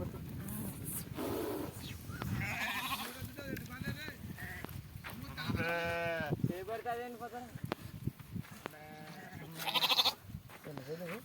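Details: Bleating sheep while being milked, with one drawn-out wavering bleat in the middle, shorter bleats around it, and people talking throughout.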